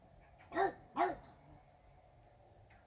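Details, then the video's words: Regis, a French Bulldog, barking at fairies: two short arched barks about half a second apart, then quiet with faint household noise and a steady high electronic tone. "barking at fairies"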